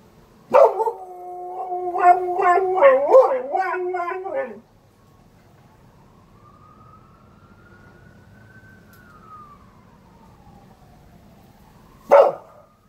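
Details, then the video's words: A Border collie mimicking a fire truck siren, giving a four-second wavering howl with quavering pitch bends, followed by a distant siren gliding slowly up and down and a sudden sharp knock at the end. "Dog howls like fire truck"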